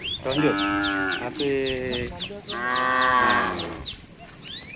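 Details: Cattle feeding on residents' green grass. Three long, rich moos, each roughly a second, follow one another closely, with rapid repeated descending bird chirps sounding above them.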